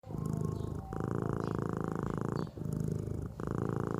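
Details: Sleeping cat snoring or purring, a steady low rumbling pulse in long breaths of about a second and a half, with a brief pause between each breath.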